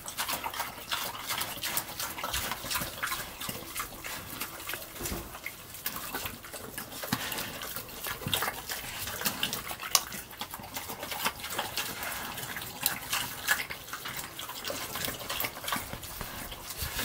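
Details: Pig eating slop: steady wet slurping and smacking, with dense rapid clicks of chewing running through the whole stretch, a few louder squelches rising above an even, moist background.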